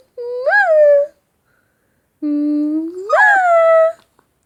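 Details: Shih tzu puppy making cute sounds when kissed or called "baby" indoors: two drawn-out tonal whines, the first short with a rising bump, the second long, starting low and swooping upward, then levelling off.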